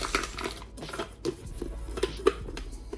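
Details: Indoor chewing and crunching of raw food with clicks and faint background music; no animal calls.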